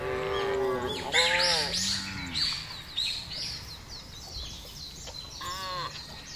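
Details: Big cattle herd moving across an expansive pasture; overlapping lowing calls crowd the first two seconds, followed by busy high chirping and rustling, with another brief moo near the end.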